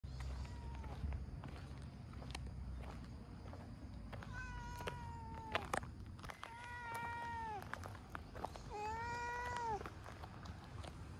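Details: Orange tabby cat, a stray that loves being petted, meowing while it enjoys a massage: about four clear, drawn-out, tonal meows, some rising then falling, spaced over several seconds above a steady low rumble.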